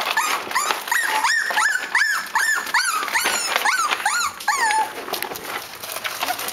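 Cavalier King Charles Spaniel puppies give high, arching whimpers and squeals, several voices overlapping in quick succession.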